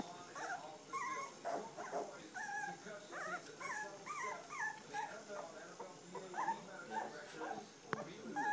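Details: A litter of standard poodle pups at three weeks of age, parents Star and Levi, keeps up a chorus of thin, wavering whimpers. Many short curved squeaks overlap and repeat steadily, with a light speaking voice in the background.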